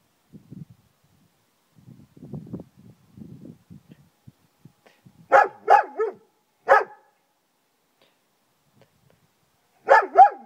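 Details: Friska, a German Shepherd in a garden, barking across it: soft low growling rumbles during the first four seconds, then five loud, sharp barks, a close pair, a single, and another quick pair near the end, with silent gaps.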